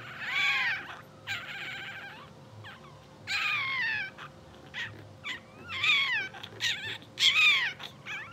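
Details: Two-hour-old English Bulldog puppies of a blue sable litter, asleep and dreaming, give thin, high, bending squeaks and whines in short bursts, some rising then falling, with a faint constant electrical hum underneath.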